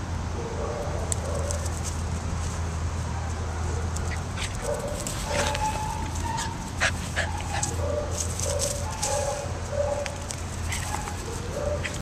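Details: Beagle offered for adoption at a shelter, giving short thin whining notes in runs, some wavering upward, over a loud steady low hum and scattered clicks and bumps.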